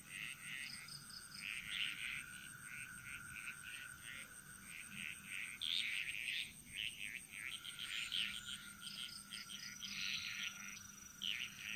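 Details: Frogs chorusing in Bali's jungle, several overlapping callers giving quick rattling and croaking bursts of varying strength, backed by a continuous high-pitched insect drone.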